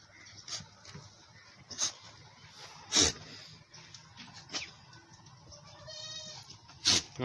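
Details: Goat on a farm where a mother goat nurses her large male kid: one short, harmonic, wavering bleat near the end, among sharp clicks and knocks and men talking and calling to each other.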